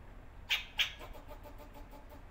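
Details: Squirrel filmed in January 2024 on a BMPCC 6K camera, giving two sharp, bright chuck calls about a third of a second apart, each trailing a short echo, over quiet low background rumble.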